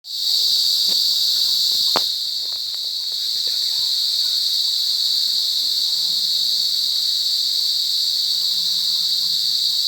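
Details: Cicadas in a forest give a loud, unbroken, high-pitched buzz that drones steadily throughout.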